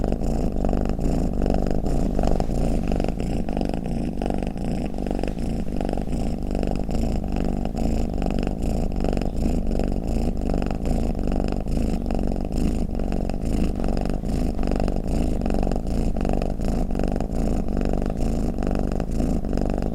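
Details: Low, steady purring snore from a domestic cat, a dense rumbling vibration of rapid pulses kept at a constant level throughout, with no other noises.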